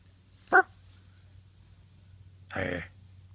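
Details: A 9-week-old Great Pyrenees puppy playing with a toy dog gives a single sharp yap, then a rough, noisy growl about two seconds later. A steady low hum sits under the sounds.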